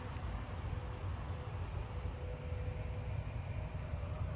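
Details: At night in a neighbourhood, likely several Carolina ground crickets give a continuous, unbroken high buzzy trill over a heavy low rumble and a faint lower hum.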